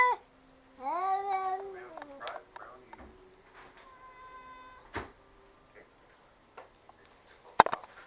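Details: Cats talking indoors in a small room: a drawn-out harmonic meow rising then falling, followed by softer chirps, clicks and a level tonal call, with a sharp knock near the end.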